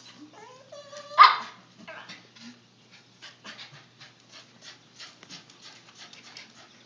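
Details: A puppy gives a few stepped, rising whines, then one loud sharp bark, followed by soft clicking and rustling noises.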